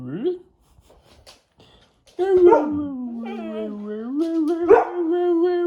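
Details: Pado, a Labrador Retriever, argues back at its owner with a drawn-out, steady, howl-like tone that dips slightly and then rises and holds, following a brief yip and some quiet shuffling.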